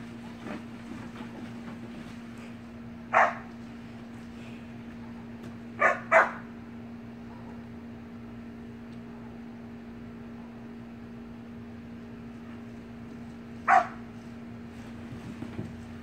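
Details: Playful Samoyed pups in a pool: scattered single and double barks spaced several seconds apart, quieter stretches between, a steady hum throughout.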